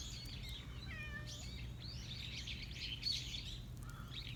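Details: Park stray cat meowing at a person it called to before running off: one short, falling meow early on, then a fainter brief cry near the end, over steady chirping of small birds and low outdoor rumble.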